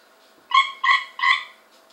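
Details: Cope's gray treefrog taken from a swimming pool produces three short, harsh, buzzy notes spaced roughly 0.4 seconds apart, each a brief burst with layered tones, in a quiet setting.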